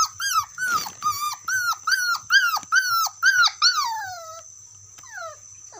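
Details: Dog calling out to its friend with about nine loud, ringing yelps, each sliding downward in pitch, spaced roughly half a second apart, ending in a long falling whine and one softer yelp, with a faint steady high hum.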